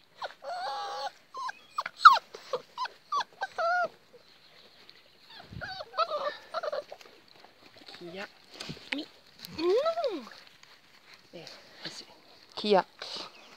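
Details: Presa Canario puppies from the El Sueno Del Amigo litter of Melvin, with Kia and Lucho, recorded 4 July 2019: high, wavering whimpers and short rising-falling yelps in bursts, with French speech and scuffling between them.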